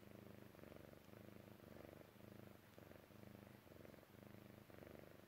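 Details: A Persian Chinchilla cat purrs steadily while falling asleep, a low rumbling buzz in even, repeated pulses.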